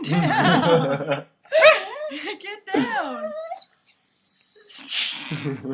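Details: A corgi begs for chicken parmesan and spaghetti, told to get down, with sliding, whiny 'talking' yowls that rise and fall, among human voices and laughter.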